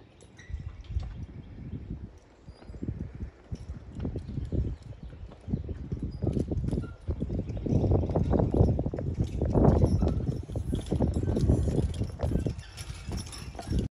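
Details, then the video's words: Percheron horse being driven, a steady run of low hoof thuds at roughly four per second, growing louder and denser toward the middle, mixed with rumbling and rattling from the drive. "Percheron driving"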